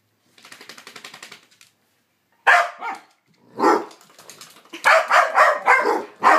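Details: Two dogs, Psyche and Harvey, in rough play: a soft rapid rattling growl, a pause, then loud harsh bark bursts that build into a fast string of throaty yaps.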